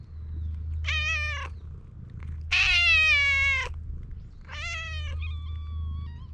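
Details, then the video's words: Stray cats at an evening gathering: three strong harmonic meows, the middle one loudest and longest, each slightly falling in pitch, followed by a faint thin tone, over a steady low hum. "夕方の猫の集会 野良猫たち何か会話してないか?"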